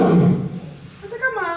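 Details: Male lion roaring while visitors hear it for the first time, recorded 19 October 2018. Onlookers say the male is calling because it is angry. A deep, rumbling roar fades within half a second, followed by a visitor's voice.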